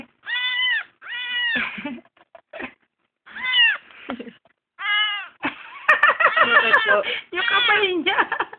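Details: Adopted kitten, found crying on the road, calling loud repeated rising-falling meows, several clear cries then a denser overlapping burst, with a person talking over the calls indoors.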